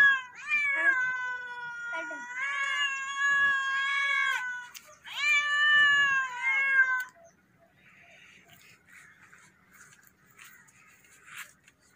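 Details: Domestic cat meowing loudly, a run of about four drawn-out harmonic meows in the first seven seconds, then near quiet with faint background rustling.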